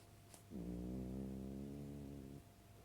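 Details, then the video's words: A pet dog snoring: one steady, droning, buzzy breath lasting nearly two seconds, rich in low overtones, starting and stopping abruptly against a quiet indoor background. "My dog is snoring"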